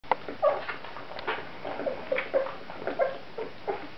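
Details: Seventeen-day-old Great Dane puppies feeding indoors, giving brief, thin, squeaky whimpers scattered across the clip, some rising and falling, over soft wet suckling and shuffling noises.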